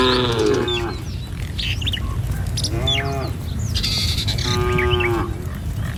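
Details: Tame cattle in a herd walking along a village road in the morning, heading to a field to feed. Short harmonic moos at the start, middle and near the end, with scattered bird chirps and steady low rumble beneath.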